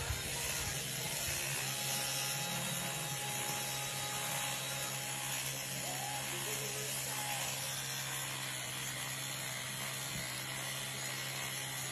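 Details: Dense hissing mechanical whir with ratcheting texture and faint music underneath, continuous throughout.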